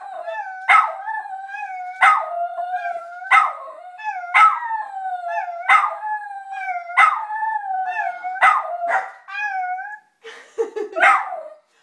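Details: Teddy, a pet dog annoyed with the answering machine, howls in a steady wavering tone broken by sharp yips roughly every 1.2 seconds, ending with a lower, rougher howl.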